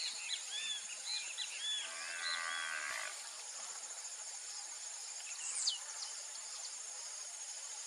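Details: On a beef ranch, a Nelore × Aberdeen Angus crossbred heifer moos once for about a second and a half, amid lively bird twittering. Strong high-pitched insect buzzing continues throughout.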